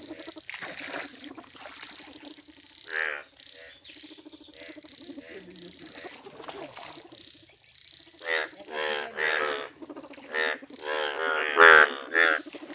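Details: Yellow Indian bullfrogs calling in nature: separate loud, harmonic, bleating croaks stand out against quieter background croaking. They are sparse at first and come in a quicker burst of about six calls near the end.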